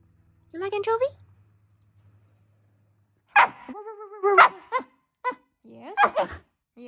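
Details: A Shiba Inu indoors, on finding an anchovy, gives short, strongly tonal whiny yelps that rise, hold and bend in pitch, with a longer sustained whine between sharper yelping notes.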